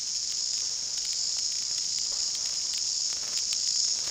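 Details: New Zealand chorus cicadas (kihikihi wawa), New Zealand's most common cicada, recorded very loud on a GoPro in the bush, a season when they peak in February. They make a continuous high, shrill, hissing buzz with rapid rhythmic pulsing and no pauses.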